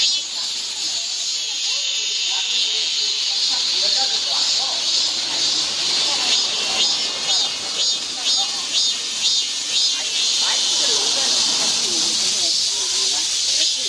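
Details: Cicadas in midsummer giving a continuous sizzling high buzz, gently beating in pulses around twice a second, with faint scattered lower sounds beneath.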